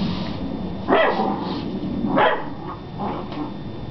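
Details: Beagle puppy, 11 weeks old, barking at a broom: three short, rough barks spaced about a second apart, fairly muffled, over a steady background hiss.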